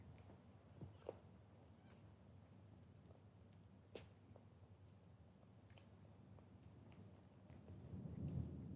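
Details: Kittens resting beside their mother purr with a steady low rumble, broken by soft clicks and rustles of movement, the rumble swelling louder and fuller in the last second.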